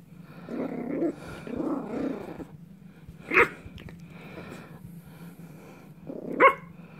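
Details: Dog growling in two low, rough bursts over the first two seconds, then two single sharp barks about three seconds apart, with faint voices in the background.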